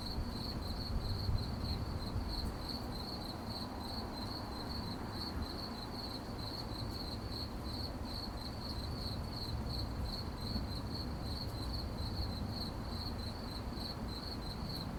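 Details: Crickets at night, a high, steady stream of rapid chirps pulsing several times a second without pause, laid over a constant low rumble of background noise.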